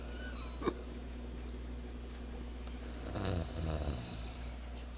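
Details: Einswine the pig snoring while sleeping: one rough, low, rasping snore near the end, over a steady electrical hum and a brief high whine.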